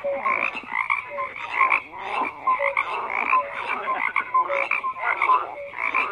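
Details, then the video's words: Many frogs croak together, rough rattling calls mixed with short clear tonal notes, bursts repeating roughly every half second. "FROGS CROAKING"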